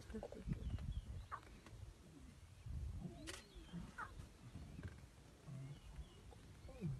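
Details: African lions heard in low, rough growls and grunts that rise and fall in short bursts over a few seconds, with faint clicks and a murmur of background noise.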